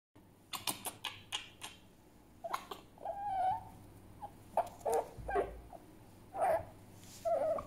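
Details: Grumpy pet fox Djinn sounding angry in a small room: a run of sharp clicking taps, then short nasal whine-like calls and squeaks scattered over several seconds.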